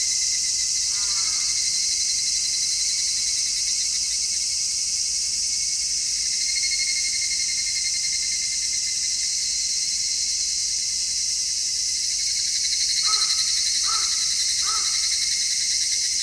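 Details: Stereo recording of midsummer cicadas made with an MKH-416 microphone: a sustained, high, hissing chorus with no breaks. A faint bird call early on, then three quick harsh caws near the end.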